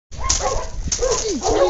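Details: English Cocker and Lab puppies, Joe Cocker and Zoom Zoom, playing together: short high whining yips with bending, sliding tones, a few scuffling noises, and steady loud play throughout.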